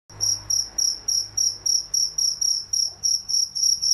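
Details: Cricket at night: clear, high, pure-toned chirps, each a short pulsed burst, repeating steadily about three and a half times per second, with a faint low hum underneath and nothing else prominent.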